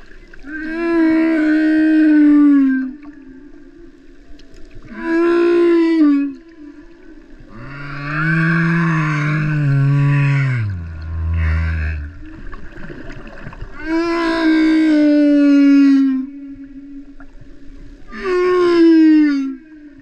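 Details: Humpback whale singer at Vava'u, Tonga, producing a patterned series of six units over twenty seconds: mid-pitched wailing moans that dip downward, alternating with a deeper groaning phrase that sinks very low.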